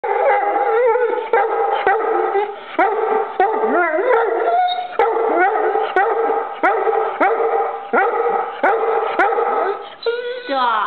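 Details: Vizsla dog in a new winter jacket, unhappy with the camera flash during a photo attempt, giving loud continuous howling whines and yelping barks with wavering, bending pitch, in rapid bursts about every half second, ending in a rising yowl.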